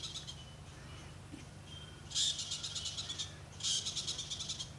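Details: Squirrel sounding the alarm in Africa's Okavango Delta: after a quiet pause come two short, high, buzzy rattles of fast clicking notes about a second apart, with a constant low drone in the background.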